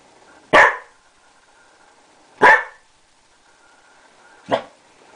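A Bearded Collie gives three sharp, single barks spaced about two seconds apart.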